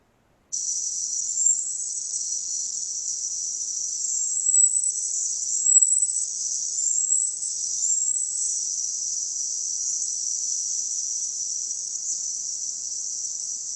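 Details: Invasive marmoset vocalization in forest, isolated from other forest sounds: short high-pitched strokes in groups of three to four, repeated across the recording over a steady high hiss band.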